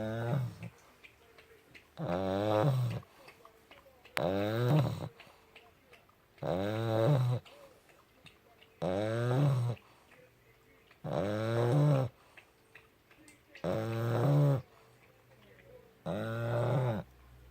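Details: Sleeping puppy snoring loudly, eight rasping, harmonic-rich breaths of about a second each, repeating steadily every two and a half seconds with quiet gaps between.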